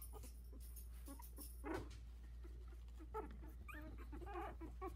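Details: Sixteen-day-old Havanese puppies in a whelping box, a litter of four taking first steps; a thud of handling noise early, then thin rising squeaks and whines cluster near the end over constant low background hum.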